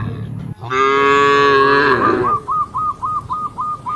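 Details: Cattle from a herd of dozens jumping over a path border among green rice fields: one loud, rich moo of nearly two seconds, then a quick series of short high chirping notes repeated about three times a second.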